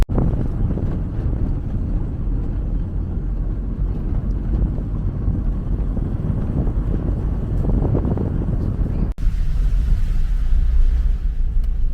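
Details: Loud wind rumble and low engine-like noise continue throughout, with no animal sound heard.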